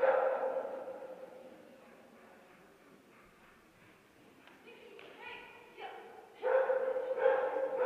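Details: Bearded Collie Micki, aged two, running her third tournament in agility class A1; a bark opens the recording, then a quieter stretch, then rapid, repeated barking building again toward the end.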